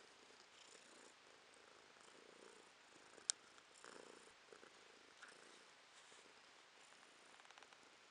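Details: A domestic cat purring at close range, recorded in November 2022. There is a low, continuous hushed whirr in soft pulsing cycles, with one sharp click near the middle and light rustles.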